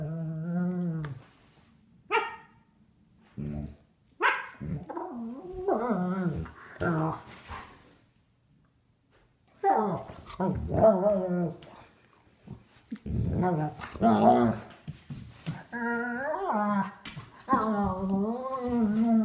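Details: Three-year-old and nine-week-old sable German Shepherds playing together indoors, an Australian Shepherd also present; short yips and barks, scattered at first, then rapid clusters of growls and yelping barks, with quiet gaps between.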